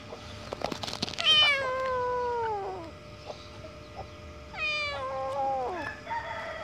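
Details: Terrified abandoned kitten during its rescue, giving two long, loud harmonic meows that start high and slide downward, the first lasting about a second and a half, the second shorter with a brief rising tail, over steady low background hum.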